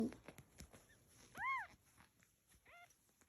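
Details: Domestic cat from a group of a mother cat and kittens gives one loud, clear meow that arches up and falls, then a shorter, fainter meow a second later, over soft taps and rustling.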